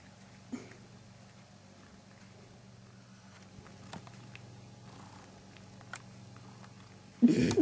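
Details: Domestic cat purring while on homegrown catnip, a low, steady, pulsing rumble throughout, with faint clicks and rustles and a sudden loud noise at the very end.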